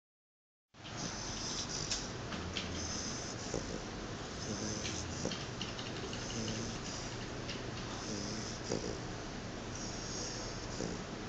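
A sleeping Chow Chow snores with low, rough, rumbling breaths over a steady hiss.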